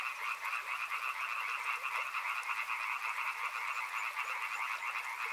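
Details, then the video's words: Frogs croaking in a thick, unbroken chorus, rapid pulsed notes layered in two bands, loud and steady across the whole stretch. "Frog Sounds | Soothing sounds of river and frogs"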